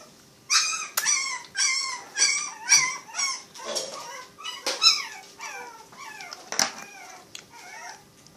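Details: Rescued puppies, one of a litter of seven, male and female, cared for at Animal Help Uruguay. High, wavering whimpers and yelps, each bending up then down, come about twice a second. A faint steady hum sits underneath.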